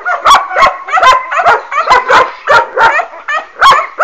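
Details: Working-line German Shepherd puppies, offspring of Boris Solidblack and Tisia de la Senda, giving high, harmonic yips and short barks, about ten sharp bursts in four seconds, with several pups overlapping.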